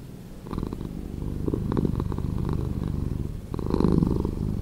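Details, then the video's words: Domestic cat purring, recording edited to play slower: a low, rumbling, pulsing drone that starts quietly, swells after half a second, eases off, then grows stronger again near the end. "Cat Purring"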